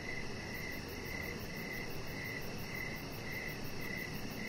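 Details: Evening crickets heard from a deck where a chihuahua puppy rests; short pulsed chirps recur about every half second above a broad low hum of ambient noise.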